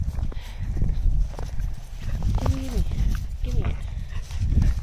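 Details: Corgis playing ball chase in the snow give two short arched barks close together midway, over heavy low rumble of paws and movement through snow.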